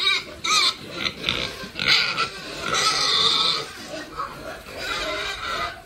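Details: Farm-raised pigs kept by a family with long experience, giving loud high squeals and grunting calls in quick overlapping bursts, with scuffling and handling noise around them.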